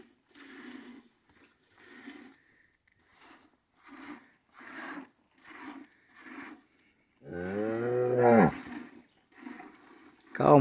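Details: Cows in a corral on a morning of hand-milking while calves suckle; one strong, drawn-out lowing moo rises and falls near the end, among short voiced sounds, speech and music.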